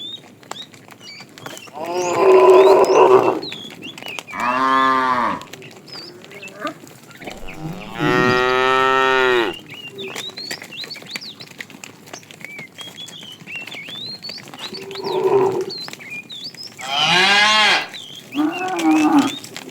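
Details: Afternoon herding of tame cows, with a fat cow calling the female. Repeated lows of varying strength: some short and muffled, others long, rich and harmonic, spread across the recording. Small birds chirp between the calls.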